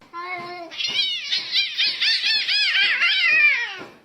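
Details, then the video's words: Kitten crying with a rapid run of high, wavering meows, each arching up and down in pitch, packed closely together for about three seconds after a short steady opening note; indoors, no other clear sounds. "kitten meowing crying"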